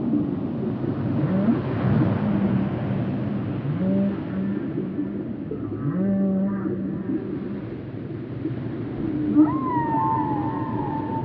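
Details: Whale sounds made for relaxation and sleep: drawn-out low moans and bending tones, with a higher wavering whistle near the end, over constant deep rumble.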